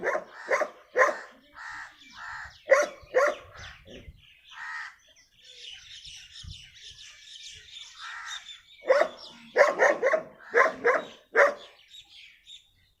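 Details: Dog described as a very dangerous, rare-breed dog, barking sharply in quick clusters of three to five harsh barks near the start and again toward the end, with softer, tonal calls from black hens in the quiet stretch between.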